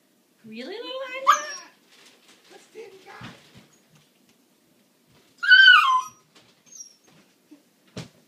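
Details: Siberian Husky puppy named Anya, waiting to eat, gives a rising, wavering whine near the start, then a second higher, falling yelp; adult voices talk and laugh in a small room between the cries.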